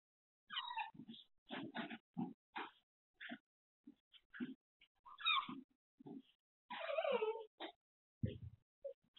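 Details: Female Shiba Inu left home alone, filmed by a pet camera while waiting for her owner to return, whining to show loneliness: irregular bursts of short, nasal whimpering whines over about nine seconds, with brief silent gaps.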